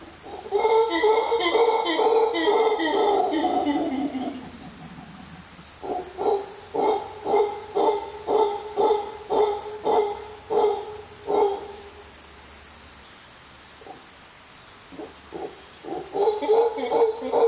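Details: In the Costa Rican jungle a howler monkey howls loudly. Deep, roaring bursts come first in a long run, then in a regular series of about a dozen throaty pulses. After a short pause the pulses start again, with faint insects hissing behind.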